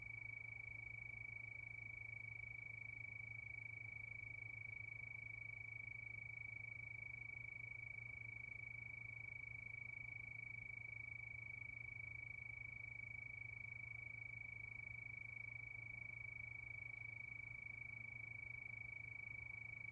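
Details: Night crickets in a steady chorus, a sustained high trill of quick regular pulses that never changes pitch, accompanied by a persistent low droning hum.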